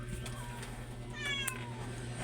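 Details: Domestic cat giving a short meow indoors, a harmonic call that slides downward in pitch midway through, over a steady low electrical hum and faint tapping noises.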